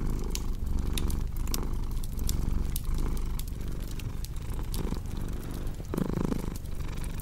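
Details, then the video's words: Deep rumbling purr of a cat pulsing with its breathing, partly masked by louder crackling and popping fire sounds, with a brief stronger rustle near the end. "Purring Cat with Cozy Crackling Fireplace Sound"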